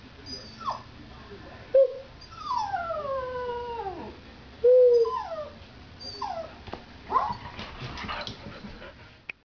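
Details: Border Terrier howling indoors: a series of falling, wavering howls and yelps, some sliding down from high to low, with short breaks between phrases and faint background noise.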